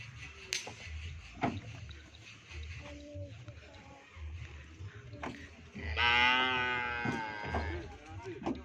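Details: Cattle being readied for an upcoming event: after scattered knocks and voices, one long, rich moo with a stack of harmonics rises and holds for about a second and a half, then fades into background clatter.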